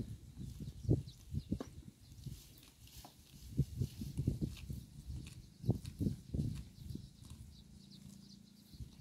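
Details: Up close with a cow grazing roadside grass: a run of rhythmic, muffled crunches and tearing bites, with some louder bites in the middle and a low steady hum toward the end.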